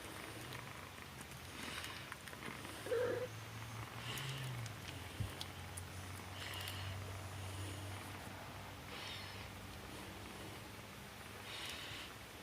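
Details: Domestic cat mother with her kittens, a steady low purr running through most of the recording, with a brief higher squeak near three seconds and soft scattered rustling.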